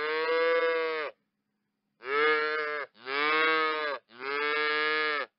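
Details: Cow calling in four short harmonic moos, each about a second long, steady and fairly high-pitched, with a pause after the first; no other sounds.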